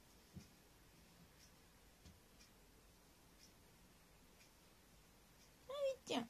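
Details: Abyssinian cat Abi, indoors on a morning in December 2018, seeking affection from its dad: after a quiet room with faint ticking clicks, two short, bright, tonal meows close together, the second rising higher and louder.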